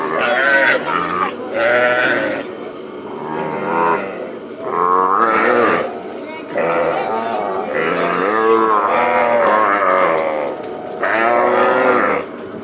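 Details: Branded calves being released on a plains cattle ranch call almost nonstop, rough wavering bawls overlapping in a dense chorus, punctuated by occasional human voices.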